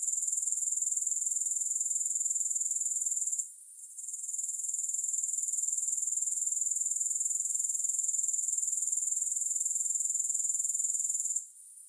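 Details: Grasshoppers stridulating without music: a steady, very high-pitched, finely pulsed buzz that runs on continuously, broken by one brief dip near the start and another at the end.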